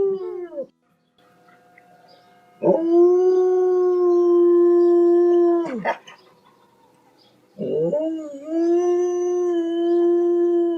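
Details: Dog howling loudly, long steady drawn-out tones with rich harmonics, two sustained howls of about three seconds each after a short opening note, separated by quiet pauses.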